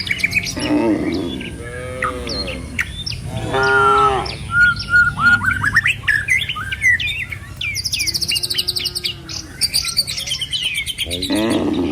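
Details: Herded cattle on a village road, heading toward the pen, among green trees and rice fields: a few short, harmonic moos amid plentiful bird chirping, with music in the background.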